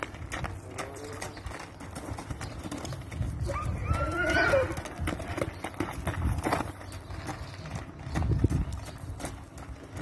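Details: Akhal-Teke stallion, Turkmen horse breed, getting ready for breeding; a short rising then falling whinny near the middle, over steady hoof clip-clop and shuffling, with faint human voices at times.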